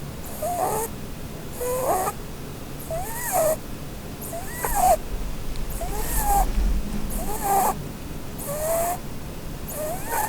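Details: Blueberry, a female Holland Lop rabbit, snores while asleep and dreaming under a Christmas tree: eight short whistled squeaks, bending up and down, each paired with a hissing breath, repeating about every 1.3 seconds.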